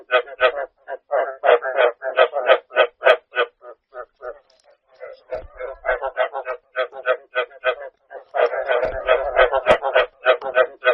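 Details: Rice field frogs calling in a dense chorus, short harmonic croaks repeated about three times a second, some overlapping, with brief gaps and a few faint knocks underneath.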